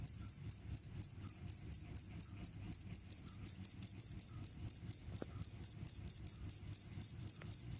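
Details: Cricket chirping steadily, each high, clear pulse repeated about four times a second in an even, unbroken rhythm, with no other sounds standing out.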